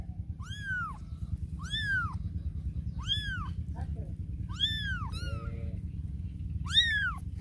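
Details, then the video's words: Cats and kittens meowing, a run of six high, arched meows about every one and a half seconds, each rising then falling, over a steady low hum. "Cats And Kitten Meowing Compilation"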